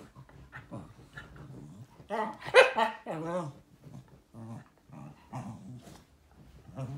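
A Shiba Inu vocalizes in uneven bursts, with a louder, rising-and-falling whine near the middle. Shorter grumbling and yodel-like sounds follow, with pauses between them.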